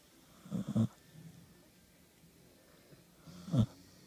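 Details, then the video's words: Two pet dogs lying in bed, one snoring while the other burps; two short, low, rasping snorts about three seconds apart against a quiet room background. "My dogs snoring and burping."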